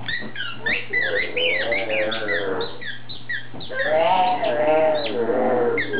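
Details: Pug named Foxy Brown getting riled up over a squeaky toy she squeaks on her own; dense bursts of high toy squeaks alongside a warbling, rising-and-falling half-growl half-howl, with a constant low electrical hum.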